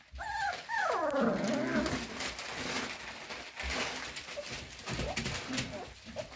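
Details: Cocker spaniel puppies whining to be let out: high, sliding whimpers that rise and fall in the first two seconds, then softer scattered whines and rustling, small indoor room.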